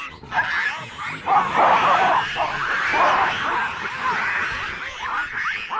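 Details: Several wild chacma baboons of a habituated troop in South Africa's Soutpansberg mountains scream sharply in alarm at a rock python wrapped around a juvenile. Dense, overlapping harsh cries run almost continuously and loudly, several voices at once.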